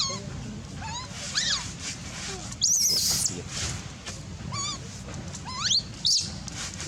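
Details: Baby monkey crying for milk while its mother is away: a few wavering, squealing cries that rise and fall, spaced irregularly, with a short harsh burst near the middle over steady low background noise.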